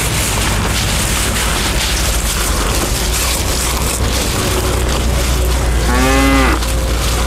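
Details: A bull eating elephant grass gives a single short moo near the end, a harmonic low call lasting under a second, over a steady loud rumbling and hissing background noise.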